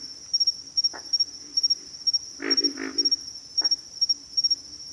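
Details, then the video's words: Pig frogs giving short low grunts, one brief burst near the start and a rough double-grunt cluster midway, set against a steady high-pitched insect trill that runs throughout. "pig frogs - sound effect"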